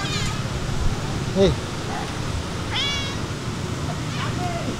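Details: Stray cats being fed outdoors, meowing: three short, upward-sweeping tonal meows spaced over a few seconds against steady low outdoor rumble.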